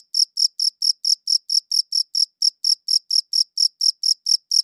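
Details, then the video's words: Cricket chirping recorded with a good audio recorder. Sharp, high, evenly spaced chirps come about four times a second without a break, on a silent background. "Cricket Chirping Sounds"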